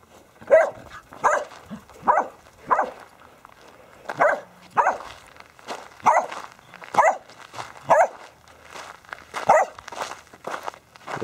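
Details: Border Collies Ramsey, Baby, Ice, Rip and Rush playing soccer with a basketball, 11-year-old Ramsey among them; about a dozen sharp, excited barks repeated roughly every second, with light scuffling between.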